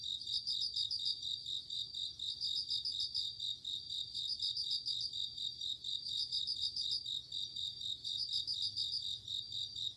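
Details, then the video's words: Crickets and bell crickets singing on an autumn night: bright pulsed trills in bursts about every two seconds over a steady high ringing chorus of night insects, with a faint low background hum. "鈴虫 夜の虫 虫が鳴く夜の雰囲気 コオロギ 秋"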